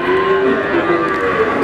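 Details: Brief burst of overlapping, fairly steady moos from cattle at the Wagenan cattle market in Pati, with busy market sounds throughout.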